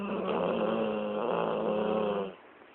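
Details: Lexi, a dog dozing after a long day of play, snores in a sustained vibrating rasp with a slight dip midway, ending abruptly after two seconds in a quiet indoor setting.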